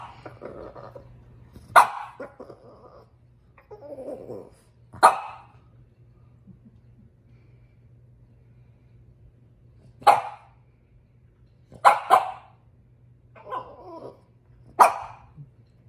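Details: Female French Bulldog upset about her toy: sharp single barks spaced a few seconds apart, some in quick pairs, with soft grumbling and murmuring sounds between them, over a steady low hum.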